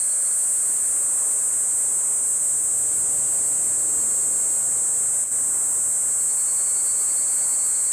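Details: In the woods at Kejonuma, where cicadas have just begun singing alongside higurashi, a Kaempfer cicada (Platypleura kaempferi) gives a steady, shrill, high-pitched drone that runs without a break.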